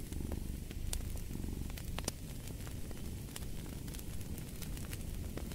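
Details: Domestic cat purring steadily, a low rumbling pulse with soft rhythmic swells, mixed with the sharp snaps and pops of a crackling fireplace.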